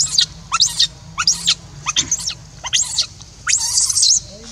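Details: Monkey named Rainbow, an orphan, crying to call Libby back after being left alone; shrill, high screeching cries in short bursts, about six within under five seconds, each sweeping sharply, with a faint low hum underneath.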